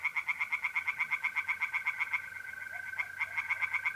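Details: Tree frogs singing by night in a pond in north-east Italy in mid-April: a rapid, regular train of harsh croaking pulses, about three per second-fraction, fading briefly before resuming, over the steady high trill of mole crickets.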